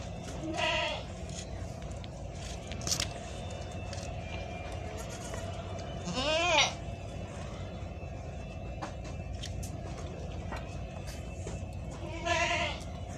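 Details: Newborn goat kids, just born and already nursing from their mother, give three wavering, harmonic-rich bleats about six seconds apart over a steady background hum and faint clicks.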